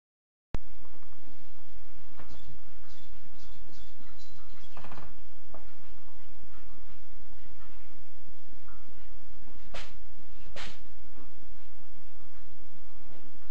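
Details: A male Flame Point Ragdoll cat sneezes twice in sharp, breathy bursts over a steady background hiss while trying to fit into his old carrier.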